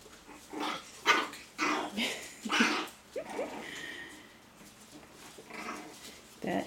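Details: Six-week-old AKC Shih Tzu puppies indoors giving short yips and little rising squeaky whines at irregular intervals, while a person talks over them.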